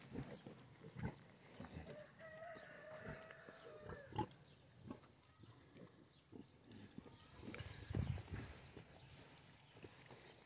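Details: Piglets on a farm grunting in short low bursts scattered through the clip, with a few louder grunts; a faint sustained tone and soft background rustling and movement around them.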